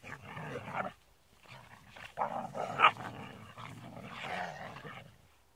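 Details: Rough play among young Rhodesian Ridgebacks from one pack, heard as rasping, throaty growls and grumbles rising into louder snarling bursts near the middle, then a long rumbling stretch before fading.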